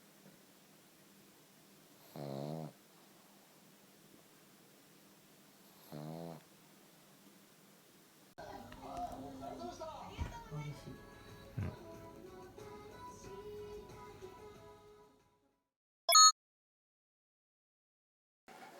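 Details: Pugs from a household with two dogs asleep indoors; two separate buzzy, fluttering snores sound a few seconds apart over near silence, followed by a person talking and assorted room noises.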